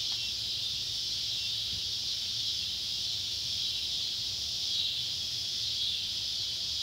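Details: Ballard County, Kentucky, July 31, 2013, at sunset: Neotibicen pruinosus and Neotibicen tibicen cicadas by an old tobacco barn produce a constant, piercing electric buzz that briefly swells louder near the end.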